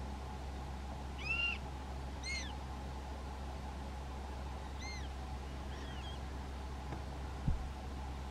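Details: Prairie dogs in a small prairie dog town in North Dakota, filmed with a Canon SX70HS; soft, faint arched chirps come in short bursts several seconds apart over a steady low hum.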